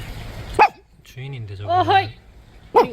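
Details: Dog at a hanok village on a trip, one of two dogs, Ppukku and Tiko, let off the leash to play freely; two short, sharp barks about two seconds apart, with a man's voice calling the dog in between.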